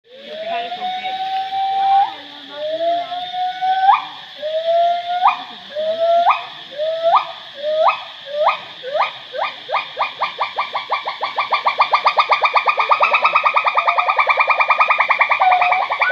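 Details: Gibbon calling at Angkor: a long series of whooping notes, each rising sharply then levelling, coming faster and faster until they merge into a rapid trilling climax.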